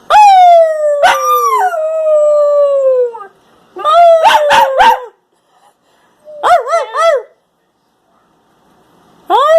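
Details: A Husky Shepherd mix pup sings a long falling howl, then gives bursts of short broken yips and wavering, yodel-like notes, and begins another howl at the end.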